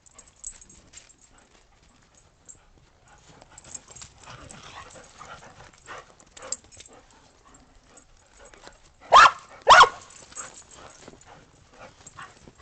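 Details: Australian Shepherds and a Boston Terrier romp outdoors in fresh snow after a storm, 12.15.2022, waiting for breakfast; after quiet shuffling, one dog gives two loud, abrupt barks in quick succession, followed by faint crunching.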